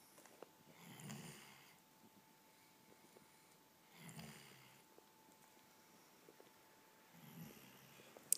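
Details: Kobe, a pet dog, snoring while lying on a couch indoors: three slow, soft breathing rasps about three seconds apart, each a brief noisy swell, with quiet room tone and faint clicks between them.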